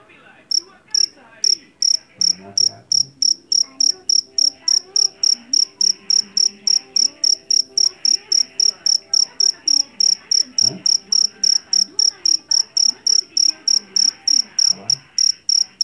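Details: Javanese field cricket (jangkrik jeliteng) caught in rice fields, known for a loud, shrill voice. Rapid high chirps repeat steadily throughout, about three per second, over low tonal background sounds.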